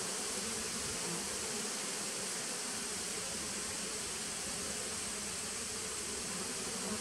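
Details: Bees of a 2017 nuc on 19 September 2018 give a continuous low humming buzz, a faint steady pitch band under a strong, even wash of hissing noise, with no breaks.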